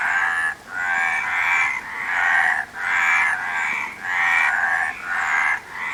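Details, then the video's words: Rhythmic croaking from frogs: six grating, pulsed bouts of roughly half a second to a second each, separated by short silences, evenly loud throughout. "Frog Sound"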